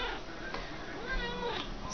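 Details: Indoor pet cats waiting to be fed and asked to sit; a steady stretch of plaintive, harmonic meowing that bends slowly up and down, with faint household background noise.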